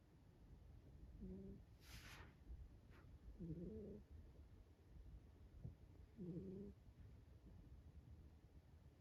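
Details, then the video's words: A Ragdoll cat snores softly during a daytime nap, each low, buzzy breath returning about every two and a half seconds. "**Sound on! ** snoring cat"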